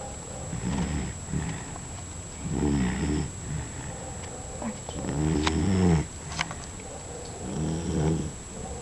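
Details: Dog asleep and snoring: deep rumbling, throaty snores in repeated bursts about every one to two seconds, each with a raspy buzzing texture, against a steady faint high whine.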